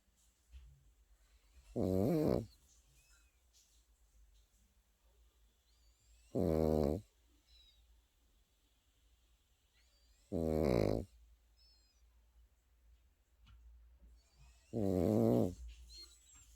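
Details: Sleeping Pekingese puppy snoring: four loud, rasping, harmonic snores spaced roughly four seconds apart, each lasting about half a second, with near silence in between.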